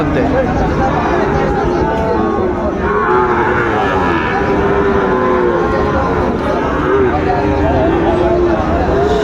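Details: Sahiwal bull calves at a cattle market, bought by a trader from Chattogram on 20 June 2024; low, drawn-out moos rise above a steady crowd murmur, with people talking close by throughout.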